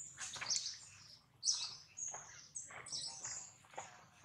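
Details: After Jade bites it hard, baby monkey Jinx cries loudly, giving shrill high-pitched squeals about once a second in uneven bursts, over a low background hum.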